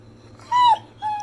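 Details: A pit bull "talks" back at its owner indoors: a sustained nasal whine that bends down at the end, followed by a second flat, steady whine, over a low background hum.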